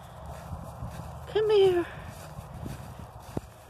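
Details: A semi-wild mother cat, friendly at times, gives a single short meow while being coaxed and petted. It lasts about half a second and falls slightly in pitch, with quiet background noise and faint human talking.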